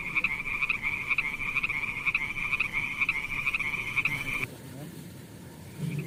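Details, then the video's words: Frogs by mossy wet rocks with snails, calling in a rapid, steady, buzzing trill of even pulses at one high pitch that stops suddenly near the end, leaving quiet background noise. "Funny frog sounds"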